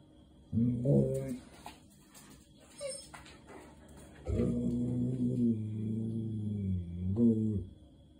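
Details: A German Shepherd cries, wanting to go out: a short whimper, then a long, wavering, mournful whine that rises at the end.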